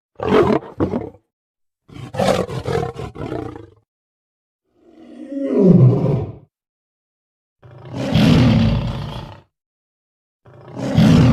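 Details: Lion giving separate deep, rasping roars and growls, each lasting one to two seconds, with silent pauses between them.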